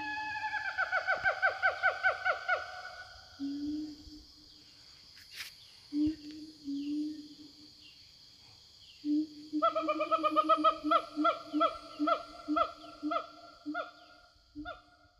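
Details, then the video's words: Wild siamangs roaming the forest and calling to their companions: an opening run of rapid rising barks, low booming tones, then another fast series of loud yelps, with a steady high insect buzz. "Suara Siamang Hutan"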